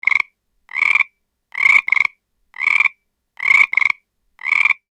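A frog gives rasping, pulsed croaks, singly or in quick pairs, about once a second.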